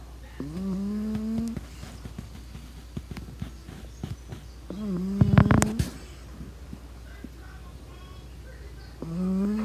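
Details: Sleeping pug puppy snoring: three droning, hum-like snores of about a second each, near the start, middle and end, steady low tone with bright overtones, faint clicks and rustles between them.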